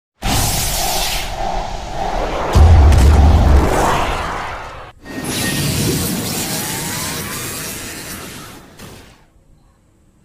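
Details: Loud booms, whooshes and shattering effects over music, with no animal voice heard.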